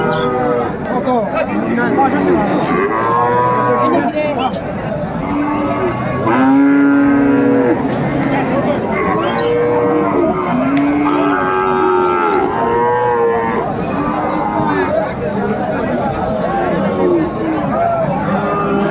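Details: Friesian and cross-breed bull calves at Raniganj cattle market, Dinajpur, Bangladesh, on 23 December 2024: repeated overlapping moos, many rising then falling, over constant crowd chatter and nearby speech.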